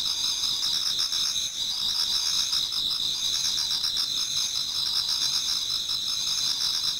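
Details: Autumn insects in a Japanese garden near dawn form a continuous chorus of shrill, ringing trills stacked at several high pitches, with faint quicker pulsed chirps beneath and an even loudness.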